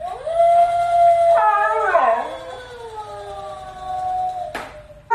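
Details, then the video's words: Upset Siberian Husky howling at a toy; one long steady howl that breaks into a wavering, sliding yodel then trails off into a lower falling moan, ending with a sharp knock. "Funny Husky Gets Very Upset Because Toy Is Trying To Take Over"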